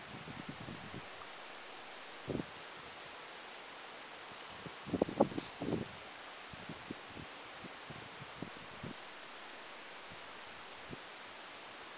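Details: Outdoor rural ambience of rustling leaves over a steady hiss, with scattered soft clicks and a brief cluster of knocks near the middle.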